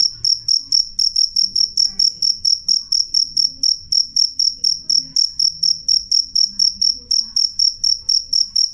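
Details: Cricket giving a clear, loud, high-pitched chirp, sharp ringing pulses repeated evenly about twice a second without pause, over a faint low rumble.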